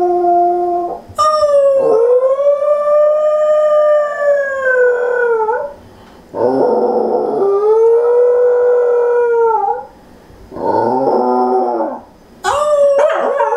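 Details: A female Pembroke Welsh Corgi family dog, which usually howls after someone leaves but sometimes howls with people around, gives long, wavering howls that rise and then sag at each end.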